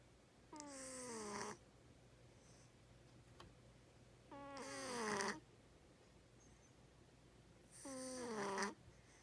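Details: Loud snoring from a sleeping house cat, three roughly one-second snores spaced evenly, each a grating drone that falls in pitch and swells louder before cutting off, with near silence between breaths.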